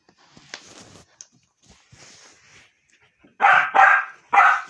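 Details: Jack, a dog annoying his mother, lets out three loud, harsh barks in quick succession near the end, after a stretch of faint scuffling and soft noises.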